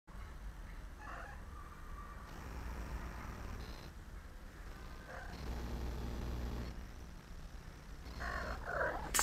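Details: House cat purring as a steady, low rumbling drone that continues for the whole stretch. Brief higher rustles and shuffling sounds come and go on top of it.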